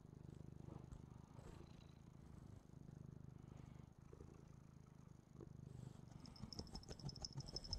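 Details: Domestic cat, a female, purring as she watches herself on a TV replay; continuous low throbbing purr with soft pulsing cycles, a faint high whine and light scratchy noises near the end.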